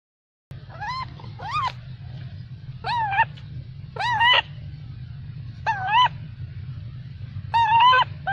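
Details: Angry baby macaque, denied milk by its mother, shouts loudly: short arched harmonic cries, roughly one or two per second in clusters with brief pauses, over a steady low rumble of background noise.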